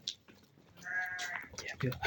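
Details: Pregnant chestnut-coloured ewes: one short, steady bleat with a rich harmonic tone lasts about half a second mid-clip, framed by Uzbek men's speech about the animals and lambs, with a loud burst of talk at the end.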